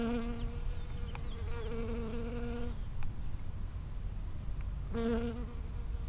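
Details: Close-range buzz of a bee working strawberry flowers, recorded 5 cm or nearer on 19 June 2011: a droning hum lasts nearly three seconds, goes quiet, then returns briefly near the end over low rumbling background noise.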